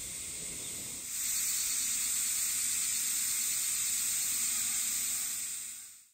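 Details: In summer in a Japanese forest area near a parking spot, a steady, high-pitched cicada drone swells after a second and holds as a continuous sizzling hiss.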